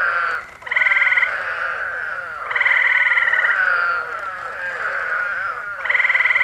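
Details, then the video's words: Eastern Spadefoot Toads calling at night in July 2021, Massachusetts, USA, alongside Gray Tree Frogs: a dense, wavering mid-pitched chorus runs throughout, overlaid by loud, rapid, even-pulsed trills lasting about a second each, repeated three times. "Eastern Spadefoot Toads and Gray Tree Frogs calling"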